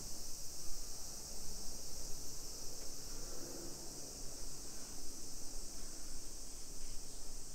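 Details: A continuous shrill buzz from summer cicadas fills a suburban street in Nisshin near Nagoya, Japan, early afternoon on 28 July 2021. The even, unbroken hiss sits above a low murmur of traffic and walking.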